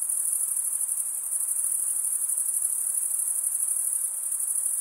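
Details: Male crickets chirping by stridulation, a high, rapidly pulsed trill that runs without pause.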